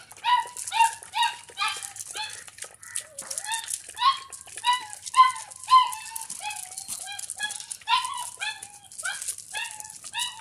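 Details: Doberman puppy indoors in a house, eating milk and playing; high squeaky whimpers with bright harmonics, repeated in quick irregular bursts about twice a second throughout.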